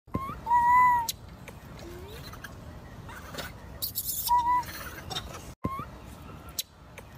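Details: Two gibbons calling: clear whistled notes that jump upward and then hold steady, with a fainter overtone above. Three such calls arrive over about seven seconds, separated by short clicks and brief rustling bursts.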